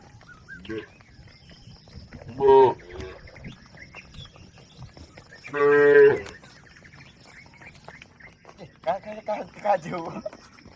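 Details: Cattle herd crossing a river toward the livestock pen; two strong moos around 2.5 and 6 seconds, with fainter lowing near 9 to 10 seconds and a quiet hum between calls.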